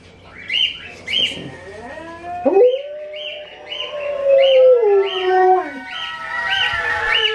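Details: Alaskan Malamute Sojou answering her relatives Ejo and Niji, heard through modern technology: a long, smooth, wavering howl that sags slowly in pitch, with rows of short, repeated, chirp-like notes above it throughout.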